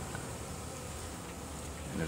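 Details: North Carolina honey bees foraging, some returning with pollen, give a steady, low droning buzz while a person speaks faintly nearby.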